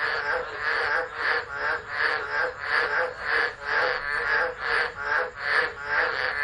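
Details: Storm-season frog chorus at Driver, Northern Territory, Australia, recorded on a phone in December: loud, dense buzzy croaks pulsing rapidly and unevenly, voices overlapping so the rhythm blurs into continuous rasping.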